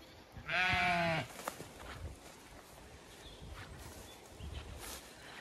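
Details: Zwartbles sheep on a regenerative farm in County Kilkenny, Ireland, among ewes and fast-growing lambs on a hot May day; one loud harmonic bleat lasting under a second, then quiet outdoor background with faint rustling.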